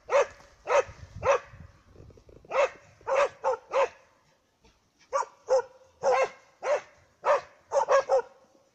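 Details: Dogs baying a moose, barking in loud clustered runs of two or three, a short pause in the middle, then more rapid barks, about a hundred per minute with some low rustling.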